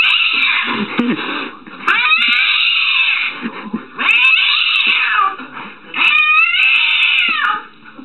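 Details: Cat in a compilation of cats scared of random things; three long, drawn-out wailing yowls, each sliding up then holding and falling, with low murmuring voices between them indoors.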